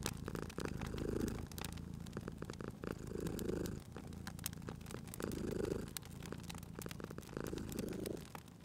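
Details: Cozy fireside purring from a cute sleeping cat in spring: gentle vibrating rumble that builds and eases in slow breathing cycles of about two seconds, accompanied by crackles and occasional pops from the fire.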